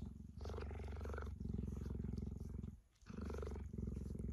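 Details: Tame cheetah resting close to its keeper in sunny weather, affectionately licking a person's hands. Steady, deep rumbling purr with rapid regular pulses, broken by a brief pause near the end, then resuming.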